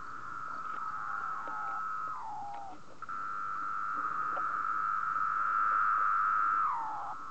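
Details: Night song of male cicadas resting on a moth sheet around 3 am, made by vibrating tymbals on the abdomen. A sustained pure whine with a brief downward slide, then a long, swelling steady tone that ends in a falling slur.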